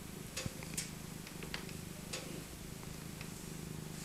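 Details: Maca, an elderly tabby cat born in 2000 and rescued as an abandoned kitten, purring while cuddled in her soft winter coat; a low steady rumble with scattered rustling and clicking of handling.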